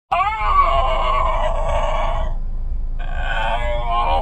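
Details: Basenji dog singing inside a car, reluctant to go home: a drawn-out, wavering howled tone that breaks off, then resumes after a short pause, over a steady low engine rumble.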